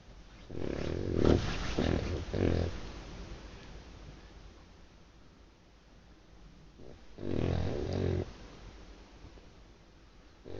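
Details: Loud snoring from a sleeping dog: a cluster of rattling, throaty snorts early on, a long quiet gap, then another drawn-out rough snore, with a fainter one at the very end.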